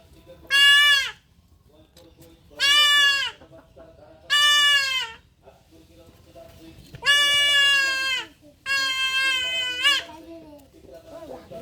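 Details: Goat kid bleating while being castrated: five harsh, descending bleats of about half a second to a second each, spaced by pauses of one to two seconds, with low human speech in between.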